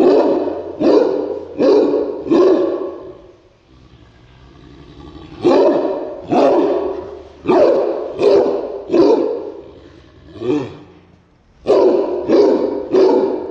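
A Cairn Terrier barks sharply in quick bursts, each bark harsh and broadband with a brief pause between runs.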